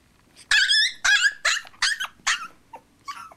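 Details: Chihuahua puppy on its second day in a new home, leashed to a chair on a patio and not yet used to the leash, giving a run of about seven high, harmonic yelping barks, several in quick succession, then shorter fading yips.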